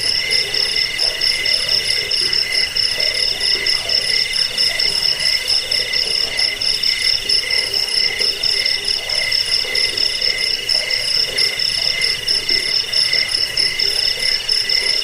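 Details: Cricket chirping offered for repelling rats, lulling listeners to sleep and tutoring songbirds; high, steady pulsed trills in several stacked pitches run without pause, beating roughly once a second, with no other sounds.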